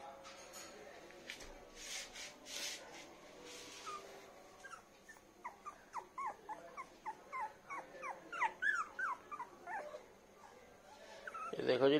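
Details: Light golden poodle puppy among a litter on a bed: rustling and handling noise at first, then a fast, steady string of high, descending whimpers, about four per second, ending in a clatter.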